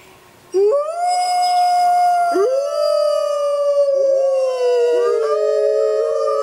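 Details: Wild grey wolves howling on a full-moon night in the jungle; after half a second of quiet a long smooth howl starts, then more voices join with rising, sliding tones that slowly fall.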